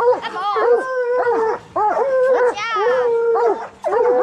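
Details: A coonhound in raccoon-hunting training, bluetick or black and tan, lets out drawn-out level howls ending in downward slurs, four long notes with brief silent breaths between them.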